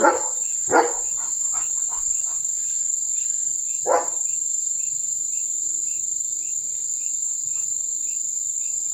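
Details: German Shepherd named Leo reacting to a tractor moving in front of the house: three loud, sharp barks, at the very start, just before one second and near four seconds. A few fainter sounds lie between them over a steady high-pitched insect drone.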